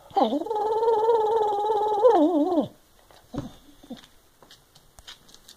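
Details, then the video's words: Elderly Boston Terrier crossed with a Basset Hound, at home in North Carolina, protesting a wastebasket in his path. One long, steady moan of about two and a half seconds ends in a wobbling fall, followed by quiet rustling. "Complaining There's a Wastebasket in the Way"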